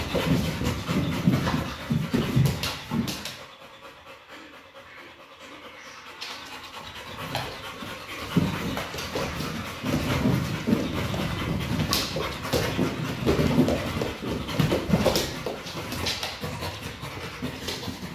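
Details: Kral, a pit bull, plays with a Pilates ball and pants rapidly and harshly in fast breathy bursts. A short quieter pause comes early, then steady huffing continues over scuffling sounds.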